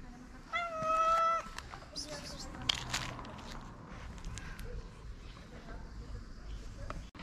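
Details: Street-living ginger cat in Morocco, hungry and pleased to see a familiar feeder, lets out one loud, drawn-out, level meow near the start, followed by clicks, rustling and faint voices.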